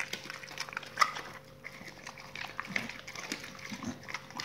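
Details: Dogs gnawing raw meat and bones, salmon and chicken carcasses, close-miked for ASMR: a few loud cracks around the first second, then quieter wet chewing and light crunches.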